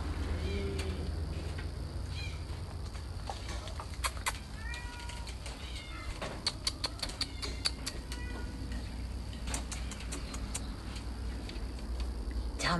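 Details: Cat in a garden on 8 June 2020, giving short, thin meows that rise and fall, among sharp clicks and tapping sounds, with quiet Italian speech nearby and a low background hum.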